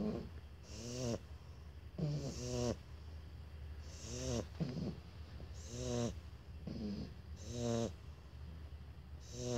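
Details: Shar Pei puppies Toffee and Fudge snore together in a duet: overlapping rattly, nasal snorts with hissing breaths come faster and less evenly, the two sleepers alternating and sometimes doubling up over a low steady drone.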